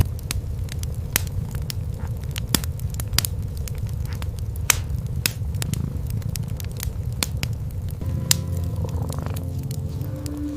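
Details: Low continuous purring from a cream kitten and mother cat sleeping and grooming side by side near a fireplace on a quiet night; dense snapping fire crackles over the rumble, and a brief tonal harmonic sound enters near the end.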